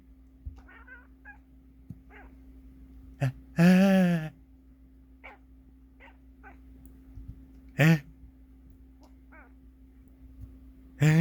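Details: A domestic cat that dislikes sneezing sounds gives three loud drawn-out meows, the first around a second long, each following short sharp human sneeze-like sounds, with a steady electrical hum behind.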